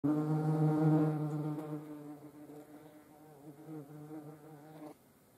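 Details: European hornets (Vespa crabro) filmed up close; a loud, deep droning buzz with a rich stack of overtones, strongest in the first two seconds, then softer and wavering until it stops abruptly near five seconds.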